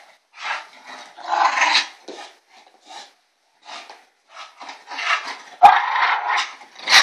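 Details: Bulldog vocalizing in an ewok-like way: a series of short, throaty grumbles and snorts of uneven length, with quiet gaps between them and a louder, rougher burst near the end.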